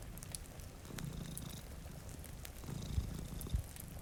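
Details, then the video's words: Domestic cat purring while sleeping, one of two at a rainy window near a fire. A deep, buzzing rumble comes in two breath-long swells, with light fire crackles and a couple of soft thumps. "Purring Cat"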